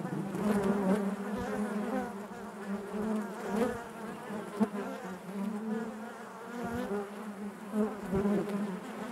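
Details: Steady buzzing of many honey bees in their hive, a low sustained drone with shifting wavering overtones and occasional sharp close passes, including one distinct burst midway.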